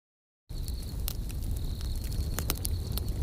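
A cricket's thin, high, steady trill runs beneath the snapping and popping of a crackling campfire.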